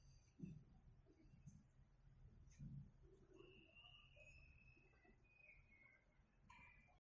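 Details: A two-month-old Shiba Inu puppy snores softly while sleeping, with low, breathy rumbles repeating about once a second.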